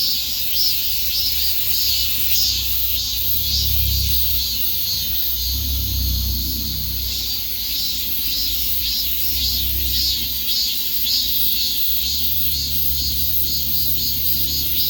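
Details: Cicadas in a dense chorus: a high, hissing buzz that throbs in pulses about twice a second without pause, over a steady low rumble like distant traffic.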